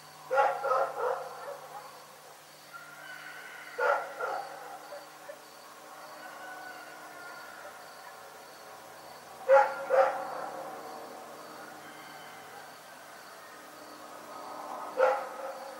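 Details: Rex the dog barking in the night, short bursts of one to three sharp barks separated by long quiet gaps, with a faint steady hum underneath.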